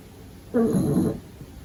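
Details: Sleeping pug puppy making a single short, nasal, rumbling snore about half a second long in a quiet room.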